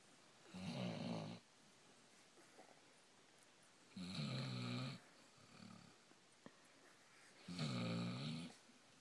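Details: Sleeping Basset Hound named Gracie indoors, three long rumbling, rattling snores about every three and a half seconds, with a softer snort between them.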